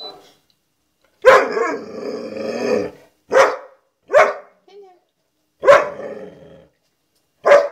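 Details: Puppy barking at her own reflection in a walk-in closet mirror, tail wagging: a drawn-out throaty bark-growl followed by four short sharp barks spaced about a second apart, with a brief soft whine between.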